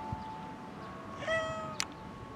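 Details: Stray cat, newly encountered, giving a single short meow with a rising then falling, harmonic tone, amid low background rumble and a brief click afterward.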